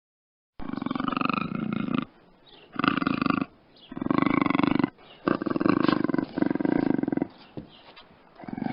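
Harsh, strained cries from a puma come in a series, each a second or two long with a raspy, buzzing texture. Short quiet gaps separate the repeated bursts.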